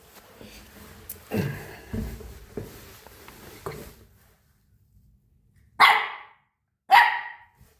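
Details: Jack Russell Terrier puppy indoors that climbs the stairs but won't come down, barking from upstairs. A man talks in Afrikaans over soft room noise, then two sharp, loud barks about a second apart.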